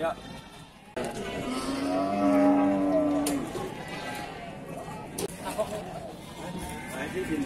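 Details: Cattle at Bumiayu's Pasar Wage animal market, Indonesia, where cows are traded: a low, steady moo of about one and a half seconds rises out of dealers' chatter and crowd noise, with clicks and handling sounds around it.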